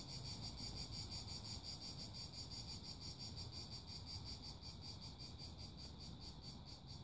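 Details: Loud chorus of cicadas, a piercing high buzz beating in even rapid pulses close to three each second, unbroken from start to end, over a low continuous rumble.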